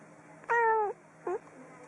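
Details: Domestic cats meowing: one clear meow lasting about half a second with a slightly falling tail, followed by a short, softer second meow, over a faint steady background hum.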